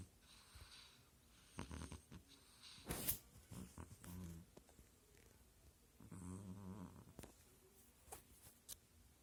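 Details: Sleeping female kitten snoring loudly indoors: rasping, low, rumbling snore breaths come in bursts near two, four and a half and six and a half seconds, separated by quiet stretches with scattered faint clicks and soft room noise.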